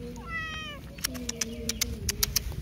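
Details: Short high-pitched mew from a feral cat, accompanied by scattered sharp clicks, a soft steady tone and background music.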